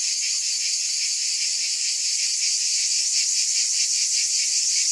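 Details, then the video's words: Unrelenting high cicada drone with a fast regular flutter inside it, loud and even, with no pauses and no background sounds. "Scintillating Cicadas"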